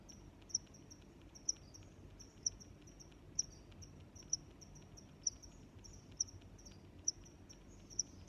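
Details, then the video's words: Cricket chirping, a bright, high chirp returning roughly every second, nine strong ones, while quieter chirps fill the gaps and a soft low background murmur runs underneath. "Sounds of Crickets"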